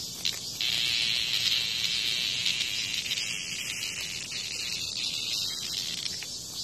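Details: Cicada under attack by a hornet in front of a house in Korea, giving a loud, steady, high shrill buzz that starts abruptly and holds for several seconds, wavering and breaking up near the end, over faint background hiss.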